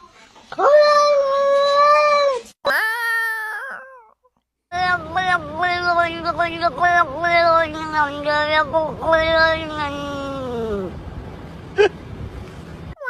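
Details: Domestic cat making odd meows: two long steady yowls, then a rapid run of short, choppy, wavering cries that rise and fall. Human voices are heard faintly underneath.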